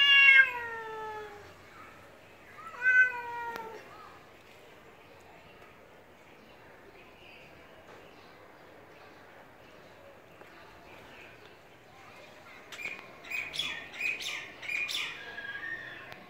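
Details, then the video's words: Pet cat and stray cat clash over territory at a home; two short meows with falling pitch a few seconds apart, then a long near-silent stretch before scattered high chirps and rustling noises close the recording. "cats fight over territory"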